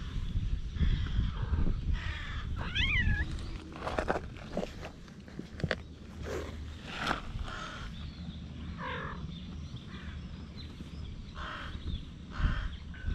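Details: Feral cats mating on a cat island, recorded with a GoPro HERO8: a brief wavering, warbling yowl that bends up and down, followed by a softer second cry, amid scuffling, clicks and steady low outdoor rumble.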